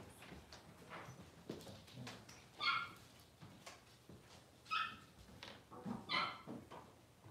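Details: Six-week-old Cavalier King Charles Spaniel puppies being dewormed and having toenails trimmed; three short, high harmonic whimpers come at intervals of about two seconds over soft background rustling.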